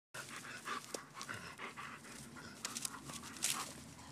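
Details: Leonberger dog panting while playing: quiet, rapid, breathy puffs in an irregular rhythm, with a few faint clicks and scuffs between breaths.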